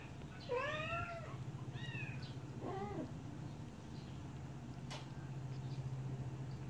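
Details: High, bending mews from baby kittens drinking milk: three clear cries within the first three seconds, then only a constant low electrical-sounding hum.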